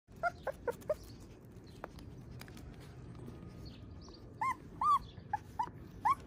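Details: Siberian Husky puppy giving short, high, arched whimpering yelps: four quick ones in the first second, a quiet gap, then five louder rising-falling cries spaced about half a second apart, over faint background hiss.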